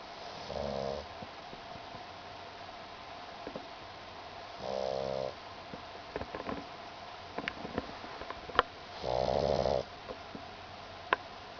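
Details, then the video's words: Pug named Mekabu asleep on a kotatsu futon, dreaming with tongue flicking and legs paddling; three soft snores spaced about four seconds apart, with small clicks and rustles between them in a quiet room. "pug メカブの小いびき"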